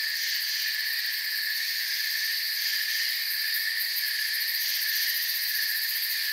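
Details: Continuous shrill chirping of crickets in a forest, stacked ringing bands of sound holding level throughout, the uppermost tone beating in quick regular pulses.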